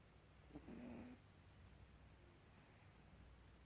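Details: Gribouille, a pet cat, snoring indoors: a single low, rasping snore lasting about half a second, preceded by a faint click, followed by quiet room tone.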